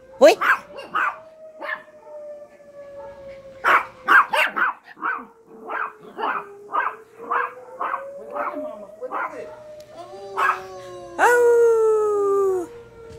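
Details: Yorkshire terriers howling at an alarm: a quick run of sharp yaps, about two per second, over a rising and falling siren tone, ending in a long, loud, harmonic-rich wailing howl.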